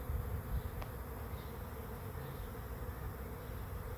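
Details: Swarm of bees arriving at a swarm trap: a steady, dense droning hum with a low rumbling undertone, plus one brief sharp click early on.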